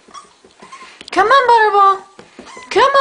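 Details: Seven-week-old puppy named Butterball indoors while trying to go down the stairs, giving high, wavering whines that rise and fall, two drawn-out bursts, with a woman's coaxing voice repeatedly urging him on.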